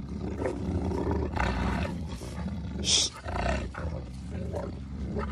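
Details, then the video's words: Garvey and Luther, a pair of Giant Schnauzers fighting, give deep, continuous roaring snarls heavy in low tones, broken by a sharp harsh yelp-like burst near three seconds amid thrashing movement. "GIANT SCHNAUZERS HAVE A HUGE ARGUMENT!"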